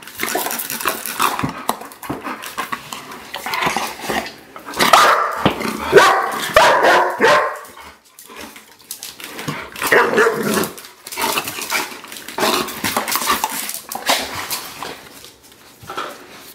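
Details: German Shepherds Wookiee and Ahsoka playing with a favorite toy, a spray bottle, give repeated excited barks and whiny yelps throughout, mixed with spray hisses and a little human speech.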